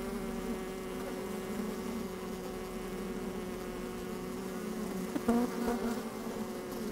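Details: Honey bees working inside an opened hive on a fine, sunny day, microphone slid down among them: a steady droning hum with layered harmonic tones, a brief louder buzz near the end, some wind.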